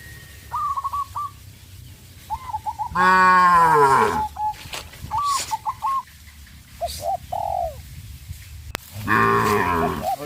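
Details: Cows on a traditional village farm fleeing in fear into the forest give two strong, rich moos about six seconds apart, while brief trilled bird notes and scattered knocks fill the gaps.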